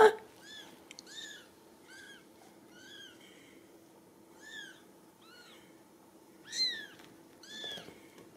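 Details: Ragdoll kittens, home-raised without cages at a cattery in central Kansas, give short high arched mews in loose bursts, about a dozen over eight seconds, some overlapping, over a faint steady low hum.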